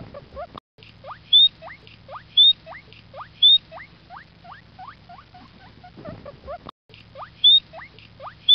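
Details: A guinea pig gives a rapid series of rising, whistled squeaks, with a few sharper high chirps between them.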